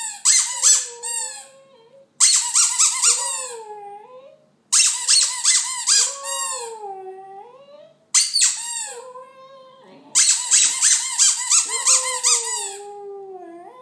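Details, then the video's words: A West Highland White Terrier singing: bursts of high squeaky yelps that slide into long, wavering, falling howled tones, in five phrases separated by short pauses. "Westie singing"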